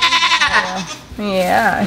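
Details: Miniature goat Blossom in labour on a farm, giving a quavering, harmonic-rich bleat at the start and again later, two bleats in under two seconds, with a woman's voice nearby.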